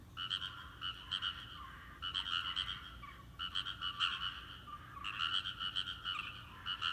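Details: Frogs chorusing from a rice paddy, their calling known to stop when a person comes near: bursts of rapid rattling croaks lasting about a second, separated by short pauses, several callers overlapping.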